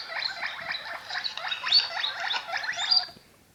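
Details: Domestic guinea pig making a quick run of scratchy, clipped squeaks and chirps in close succession, a few higher squeals mixed in, ending abruptly into near silence.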